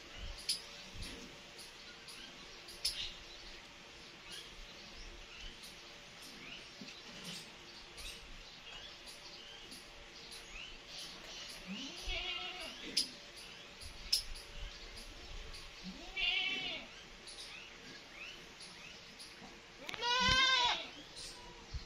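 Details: Mother cat nursing two kittens that meow while feeding: a few thin, high, arching meows near 12, 16 and 20 seconds, the last loudest, over steady faint ticking and background hiss.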